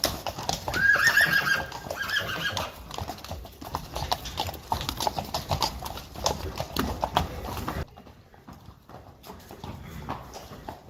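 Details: Friesian horse mares from a herd, unwilling to go outside, give a brief high whinny in the first seconds over a steady clip-clop of hooves, then the hoofbeats continue alone before fading to quieter shuffling.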